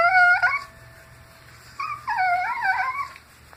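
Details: Dog making an odd noise while being scratched; a short rising yelp-like whine, a pause, then a longer wavering, warbling moan with shifting pitch.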